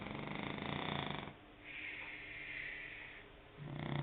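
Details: French Bulldog asleep and snoring, a coarse fluttering rattle on the inhale followed by a long airy wheeze on the exhale, then the rattle starting again.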